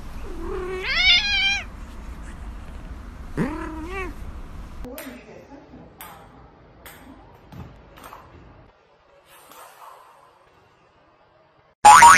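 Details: A cat gives two drawn-out, wavering meows in its first few seconds, the second one rising then falling. Scattered clicks and thumps follow, then near silence, and a sudden loud burst ends the recording.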